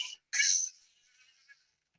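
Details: Two beluga contact calls, which keep mothers, calves and groups together: first a complex call with an overlapping whistle too faint to hear, heard as a brief crackle, then a simple call, a harsh, buzzy pulsed burst.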